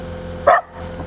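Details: A pet dog reacting to a noise gives one short, sharp bark against a steady low hum.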